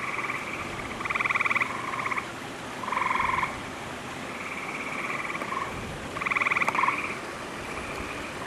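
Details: On 11 June 2010, near summer after recent rains, gray tree frogs in lush vegetation at a wolf exhibit give loud musical trills in long, overlapping bursts from several frogs; a loon is faintly audible in the background.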